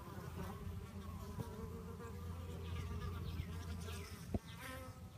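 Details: A low, steady droning hum from bees during a fight, with faint wavering buzzy tones above it and a sudden sharp knock near the end.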